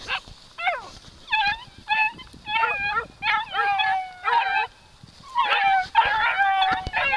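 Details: Three-month-old beagle puppies, in their first contact with a wild boar, give high, ringing yelps and short baying barks in quick, overlapping bursts.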